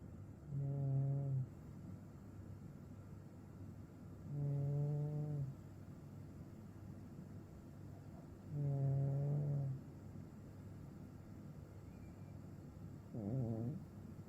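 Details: Blue, a Maine Coon cat, snoring while sound asleep. Low, buzzy snores of about one second come regularly every four seconds against a quiet, hissy background.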